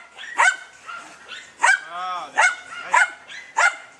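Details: Dunja, a German Hunting Terrier, baying at a wild boar: shrill repeated barks roughly every half second, broken by one drawn-out wavering whine between them.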